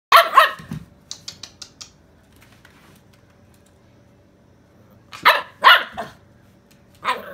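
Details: Excited Chow Chow–German Shepherd mix pup barking: two harsh, loud barks open, then a few faint taps. After a long quiet gap comes a burst of three rough barks, with a final single bark at the end.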